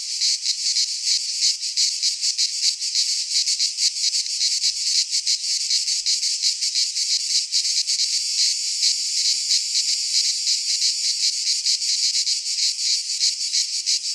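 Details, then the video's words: Cicadas of Greek fauna singing in a midsummer pine forest: an intense, high, rasping wall of sound with rapid pulsing beats, continuous and alone. "Cicadas singing in midsummer - Nature sounds from the Greek fauna - Sounds of cicadas"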